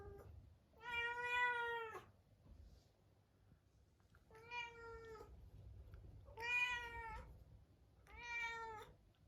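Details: Munchkin cat Chabo, isolated in another room before next day's neutering surgery, meows sadly four times, each drawn-out, harmonic-rich cry lasting about a second and spaced roughly two seconds apart, over low indoor hum.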